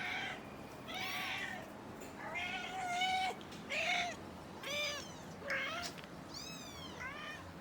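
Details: Four-week-old kittens learning to walk beside their mother give high, thin mews that rise and fall. There are about eight calls in seven seconds, some short and some drawn out, over a low rumbling background.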